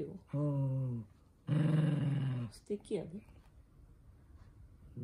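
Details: Toy poodle Minato, furious at having socks put on indoors, lets out two low, steady growls about a second long, followed by quieter scuffling sounds.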